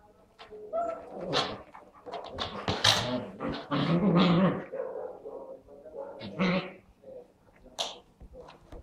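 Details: Labrador playing indoors in a living room with a Husky puppy; short harmonic barks, yips and whimpers come in clustered bursts, loudest in the middle, with thumps and scuffling of play between them.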